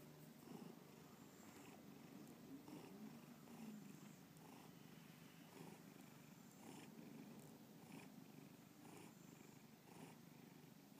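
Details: Indoor pet cat Bubba purring, a gentle low rumble with softer, less distinct breath pulses recurring around every second, quiet room otherwise still.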